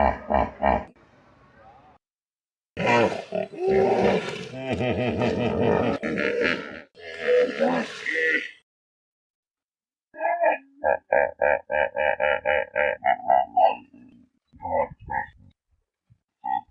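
Hippopotamus grunts come as a fast run of short, nasal honks, repeated several times a second before fading. Earlier, a louder, harsh roaring passage and a spoken voice naming animals are also heard.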